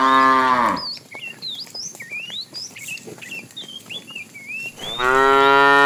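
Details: Fat cow in a tame herd being driven in the afternoon, calling the female: a deep harmonic moo opens and another closes the stretch, with busy chirping and whistling birdsong between them.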